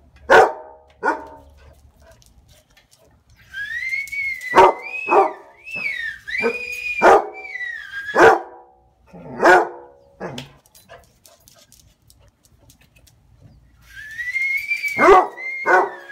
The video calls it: Barney The Basset Hound